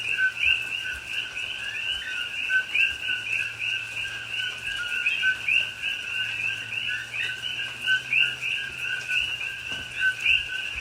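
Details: Rainy night in a Pahoa, Hawaii rainforest, October 2021, filled with a chorus of coqui frogs: stacked two-note calls, low then sharply rising, pouring out several per second from many animals, with soft rain patter beneath.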